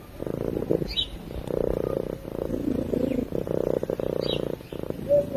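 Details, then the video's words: A cat purring as it sleeps: a rapid pulsing low hum that rises and falls with its breathing, with a couple of faint high chirps and a short whistle at the end. "Cat Purring While Sleeping"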